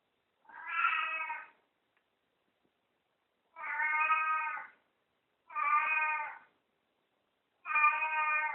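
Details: Pet cat meowing in greeting after it wakes: four even, harmonic meows, each about a second long, spaced two to three seconds apart in a quiet indoor room.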